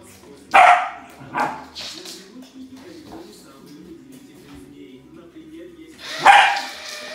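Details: Samoyed at play with a remote-control car gives two quick barks, then a pause, then one more loud bark, against a continuous low droning tone.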